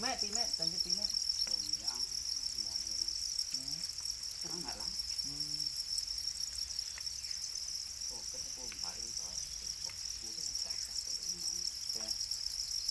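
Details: Domesticated para crickets, also called black crickets, kept in captivity: a dense, continuous high-pitched chorus of many insects forms a steady shrill band throughout, while people talk in the foreground at intervals.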